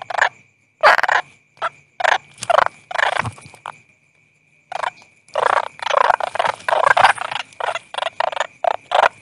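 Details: Rasping, pulsed croaks from a toad come in clustered bursts, a quiet gap near the middle, then a dense run of rapid rattling calls over a constant faint high whine.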